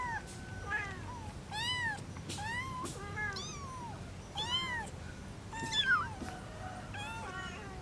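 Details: Domestic cat with kittens, a mother and three young: a busy run of arched, wavering meows, about a dozen in under eight seconds, some overlapping, rising and falling in pitch, with low steady background noise.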